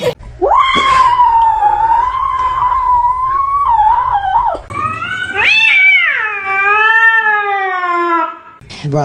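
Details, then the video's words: Domestic cat giving two long, drawn-out meows, the first steady and wavering, the second starting higher then sliding gradually downward, each lasting several seconds with a brief pause between. "Kitten meowing"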